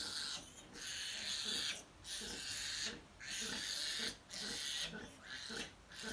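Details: Sow and fourteen piglets jostling to feed: loud, harsh squealing bursts about a second long, repeated almost without pause with brief gaps between, high-pitched and noisy throughout.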